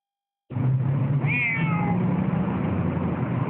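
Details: A Siamese cat on its way to the vet, complaining persistently while waiting for a tram, gives a single drawn-out, slightly falling meow over a steady vehicle rumble.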